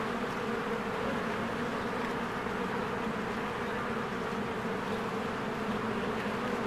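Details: Spring honeybees swarming at the entrance of their cozy hive, producing an unbroken low droning hum, thick and even throughout, with no other clear sounds.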